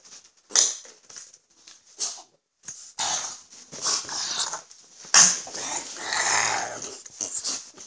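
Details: Father-and-son pair of French Bulldogs, Gonzothunder and Turbopanda; sharp sneezy snorts followed by longer wheezing, raspy breaths and throaty huffing, loudest near the middle.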